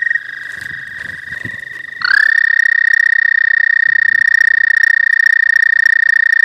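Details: ['Pond frogs heralding spring, filmed on a new phone; after two seconds of faint rustling a loud, rapidly pulsing trill starts with a quick upward slide and then holds steady and strong to the end.']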